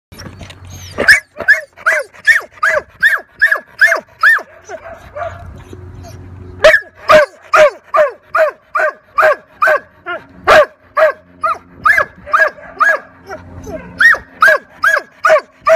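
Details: Labrador Retriever, very nervous during a temperament test at Ruff House Pet Resort dog day care. It barks repeatedly, about twice a second, in a steady loud series broken by a short pause with a low rumble.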